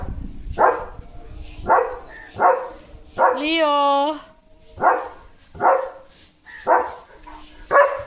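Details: Guard dog Leo, a German Shepherd, keeps barking at a sheep herd passing the gate: a series of sharp barks, interrupted midway by a long, wavering, tonal cry with rich harmonics.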